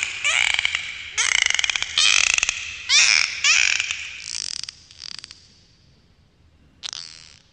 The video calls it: dolphins underwater sounds